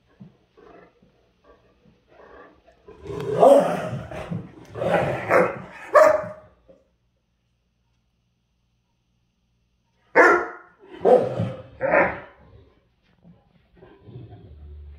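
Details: Great Dane, worn out by this time of day and provoked by a smaller female dog: faint grumbles build into a loud four-second stretch of harsh barking. A quiet gap follows, then three more gruff barks.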